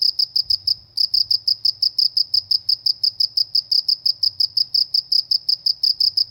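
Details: Countryside cricket giving rapid high-pitched chirps at roughly three per second, with a brief pause near the first second before the steady pulsing resumes; faint low hum underneath.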